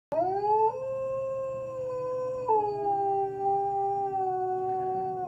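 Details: Collie howling in response to the monthly tornado siren; long sustained harmonic howl holding steady, dropping in sudden steps near one and two and a half seconds, then continuing at a lower pitch.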